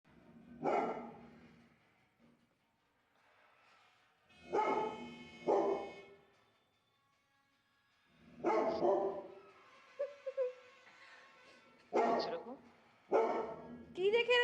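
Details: A frightened Labrador Retriever barks in loud, harsh bursts at a rolling pin and board, with people talking in between.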